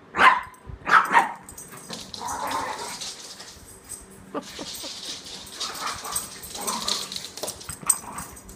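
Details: Chihuahua mix dog trying to play with a toy Australian Shepherd: two quick sharp barks at the start, then softer breathy growl-like sounds and scuffling, rustling noise of the dogs moving about for the rest.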